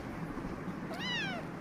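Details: Kitten with eyes of two different colours, in Khulna, gives a single short meow that rises then slides downward, coming near the end, over a low steady background hum.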